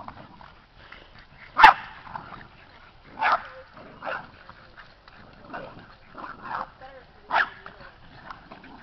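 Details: Seven Boston Terrier puppies playing, wrestling and running around a yard; short sharp yips and barks come in bursts roughly every one to two seconds, with quiet scuffling and some human talk between them.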